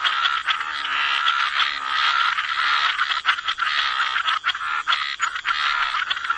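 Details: A chorus of frogs croaking by the waterside in wetlands; dense, overlapping rasping croaks form a continuous pulsing wall of sound with no clear gaps.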